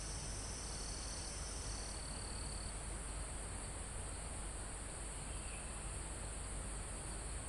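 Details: Crickets in a forest near the top of a mountain: a steady high insect whine with a sustained trill that drops slightly in pitch after two seconds, over a constant soft rush of wind through foliage and trees.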